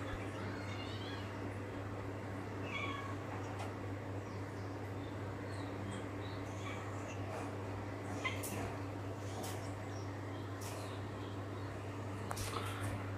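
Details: An old cat, meowing while rolling about, gives a few short harmonic meows early on, spaced a couple of seconds apart, over a steady low electrical hum with scattered clicks and rustles.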